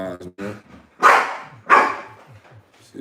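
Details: Adult female Exotic Bully dog, called the loudest in the house, barking indoors: two loud, harsh barks about two-thirds of a second apart, preceded by a man's speech.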